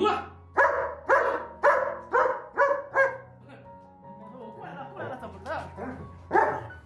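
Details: German Shepherd dog 'scolding' its owner for promised food never brought: six loud, hoarse barks at about half-second spacing, then softer grumbling whines, with steady background music.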